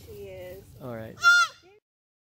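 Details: Young fawn alone in a backyard crying for its mother, who came out of the woods in response; a nasal, wavering bleat followed by a sharp, higher, falling cry, with a person speaking softly.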